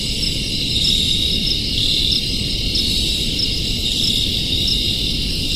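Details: Many crickets trilling together in an unbroken high-pitched wall of sound, faint pulsing ripples within the shimmer, with a constant low background rumble beneath.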